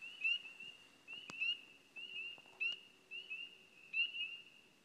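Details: Spring peeper calling on Signal Mountain, a frog of places with trees and water together, heard February through summer and best in early spring: clear, high, rising peeps repeated about once a second, with a few faint clicks behind.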